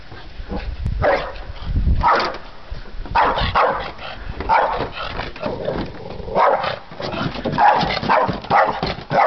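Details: A Boston Terrier barks in sharp, repeated bursts, about one a second, at the mail carrier while being trained. Boston Terrier.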